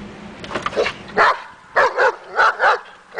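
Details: During agitation table work aimed at building confidence, Daja the dog barks in short clustered pairs, about six punchy barks over three seconds with brief quiet gaps.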